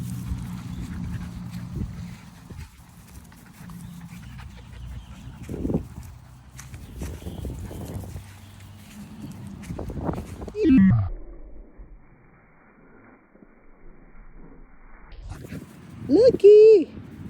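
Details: Puppy named Luke on his first dog park visit and first dog encounter, September 2022; two short tonal whines, one near eleven seconds and a rising-falling one near sixteen, over wind rumble and rustling.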